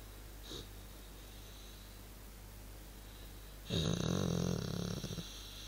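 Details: Funny noise from a relaxing male dog: after a soft puff of breath, a loud, buzzy, rumbling snore-grunt lasts over a second and a half before fading, against a low steady hum.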